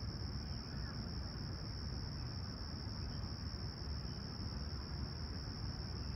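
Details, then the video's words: Crickets at Humber Bay Shores, Toronto, on a serene July 2020 sunrise, 20ºC. One level, shrill trill persists without pause above a dense low-frequency hum of wind and distant vehicles. "Serene Summer Toronto Morning With Chirping Crickets"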